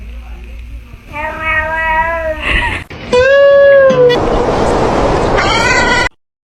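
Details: Domestic cat giving loud, drawn-out meows, three wavering calls with rich harmonics, the middle one long and falling slightly, followed by a person saying hello.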